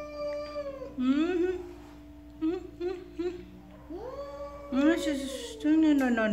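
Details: A run of jealous cat vocalizations: wavering, warbling yowls that rise and fall in quick bursts. Several louder rising cries come near the end, over a steady hum.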